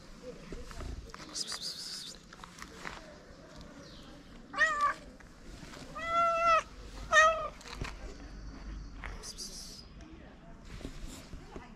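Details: Homeless ginger cat in Morocco, hungry and glad to meet its feeder again, gives three meows in quick succession midway through, the middle one longest and arched, with rustling and soft outdoor noise around them.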